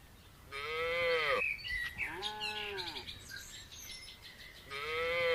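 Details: Red cow in a village, eating grass alongside another cow, giving three shorter, higher-pitched moos against a hissy background.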